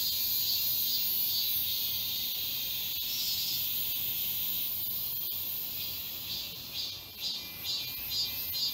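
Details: Cicada chorus in the forest of Galsan Park, Mokdong, Yangcheon-gu, Seoul, in midsummer: a dense, hissing, high-pitched buzz fills the whole recording, pulsing a little about twice per second, steady throughout with no other clear sounds.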